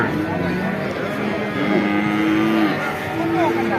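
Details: Young bull calves at the Vaniyamkulam cattle market, one giving a steady, drawn-out low moo lasting about a second amid busy market chatter, traders' voices and background music.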